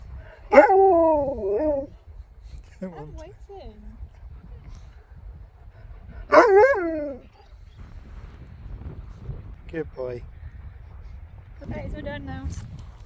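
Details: Husky vocalizing indoors with a series of wavering, yodel-like howls and grumbles, two loud bursts several seconds apart with quieter warbling calls between and at the end.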